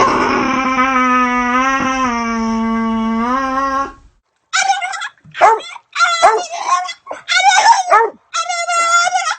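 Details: Dog holding a steady, tremulous howl for about four seconds, followed by a quick string of five or six sharp, yelping barks with short gaps between them.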